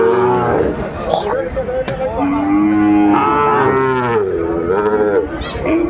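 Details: Sahiwal bull calves at a cattle market in Kurigram, Bangladesh, on 14 December 2024, giving repeated, wavering, harmonic moos that rise and fall, overlapping one another amid crowd chatter and background music.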